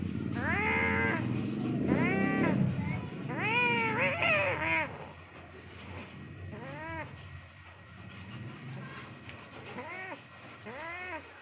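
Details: Cats locked in an angry fight trade arched, drawn-out yowls and caterwauls in bursts, loud at first, then quieter, spaced calls toward the end, over a low rumbling background.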